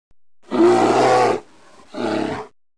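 A grizzly bear gives two deep, rasping growls, the first long and the second shorter.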